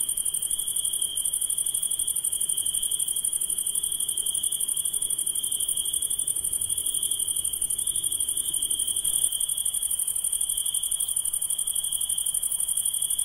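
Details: Nocturnal insect chorus of continuous shrill ringing, with a fine high trill layered above it, steady throughout with no pauses and no other animals.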